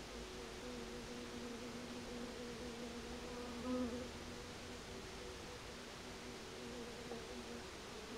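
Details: Buckfast-heavy honey bees orienting towards their queen just after their nucleus colony was installed into a bigger hive; a soft, steady low hum with faint layered tones, swelling briefly near the middle, over quiet background hiss.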